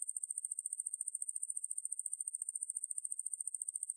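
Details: Sustained piercing buzz of the conehead katydid Ruspolia lineosa, from the National Institute of Biological Resources in 2020, built of quick regular pulses near fourteen per second, constant and unaccompanied.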